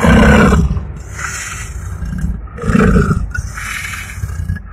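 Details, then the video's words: Man-eater tiger that killed nine people, caught in a cage and lunging; two deep, gravelly roars, one at the start and another near three seconds, with a steady hiss between them. "९ जना खाने बाघ खाेरमा परेर पनि झम्टिन खाेज्याे"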